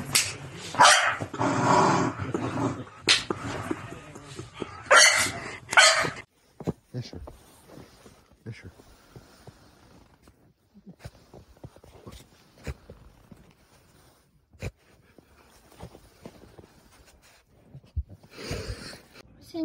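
A corgi gives loud, sharp barks in a burst, then goes mostly quiet before a final bark.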